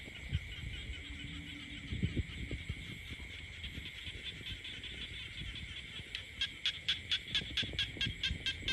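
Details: Countryside frogs in full chorus, a constant shrill background hum; after about six seconds one nearby caller breaks in with a fast series of sharp, evenly spaced pulsed croaks, while low thumps and rustles sound underneath.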